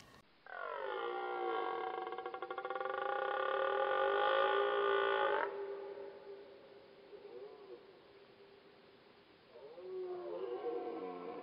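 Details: Red deer stag in rut, 2018, gives one long, rich bellow lasting about five seconds, strong and rasping throughout, then stops abruptly. Quieter, fainter bellowing follows.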